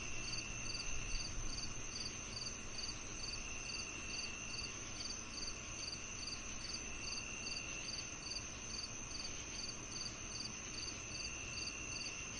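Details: Chirping crickets alongside cicadas, meant to calm and mask tinnitus: a rapid, steady train of high short chirps, a little over two each second, rides on a sustained whine and low rumbling noise.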